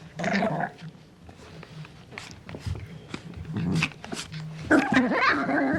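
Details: Young puppy giving short, low growls mixed with a few higher yelping notes at the start and end, with quieter rumbling in between.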